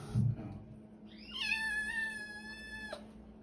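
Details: Scared female feral kitten being tamed at her new home gives a single drawn-out meow, rising sharply then holding steady for over a second before cutting off; a soft thump precedes it and a quiet hum runs underneath.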